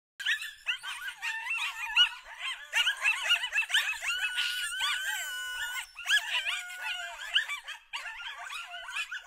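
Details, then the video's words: Group of wild coyotes recorded by a trail camera at Lake Tahoe, California, howling together: overlapping high yips, wavering rising and falling howls and quavering sustained notes from several animals at once, dense and continuous. "Trail cam captures coyote concert in Lake Tahoe"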